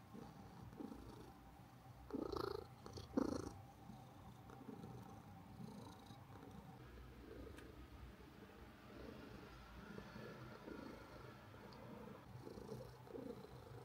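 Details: Karl, an orange pet cat, purring, recorded with a DJI Osmo Pocket 3 and DJI Mic 2 microphone; a low, continuous rumbling purr that swells into two louder breathy bursts near the two- and three-second marks.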